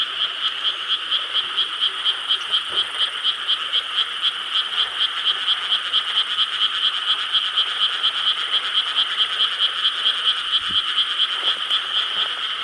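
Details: Night chorus of frogs in Korean rice fields, recorded 4 July 2013: loud, evenly pulsing croaks overlapping into a continuous throbbing drone, roughly two pulses per second, with a couple of soft low knocks.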